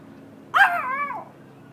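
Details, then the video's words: Dog named Bailey making sure the yard is safe: a single drawn-out bark that rises sharply then slides down into a wavering, howl-like tail lasting under a second. "guard dog"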